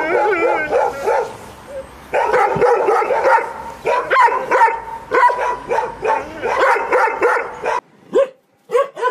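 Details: Dense, overlapping tonal barks and yips from a dog continue almost without pause, loud and harmonic, ending with a few separate yelps after a brief gap.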